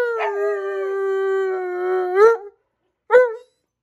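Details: An Alaskan Malamute, with a Husky, howls: a long steady howl lifting at the end, then a brief rising howl.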